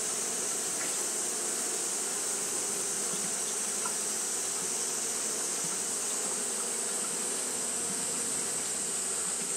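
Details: On a hot day, Japanese honey bees keep up their fanning behaviour: a continuous droning buzz, slightly pulsing in the low range, under an unbroken high-pitched hiss.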